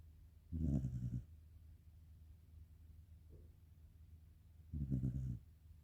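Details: Karin, a sleeping black Shiba Inu, gives a soft, restrained snore: two low, rasping breaths about four seconds apart, each lasting around half a second, in a quiet room.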